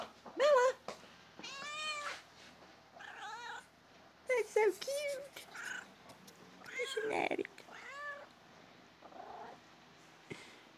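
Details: Domestic cat giving a series of clear meows, several rising then falling with rich harmonics, spaced about a second apart across the recording, with faint background voices between calls.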